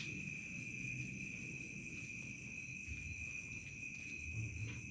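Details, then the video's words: Village crickets at dusk into night: two continuous high ringing trills, one shrill and one thinner and higher, over a soft low rumble of outdoor background noise. "SUARA JANGKRIK SENJA MENJELANG MALAM"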